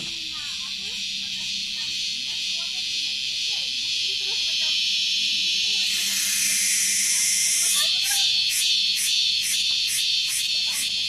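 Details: Insect heard on Gunung Datuk gives a shrill, continuous high drone breaking into rapid rhythmic pulses, the noisy "kriuk kriuk" sound it makes.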